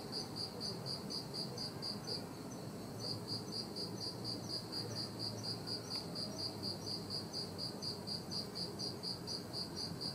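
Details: A bell cricket rings a clear, high, bell-like chirp, repeated steadily about twice a second, recorded on 21 September 2021 under the mid-autumn full moon.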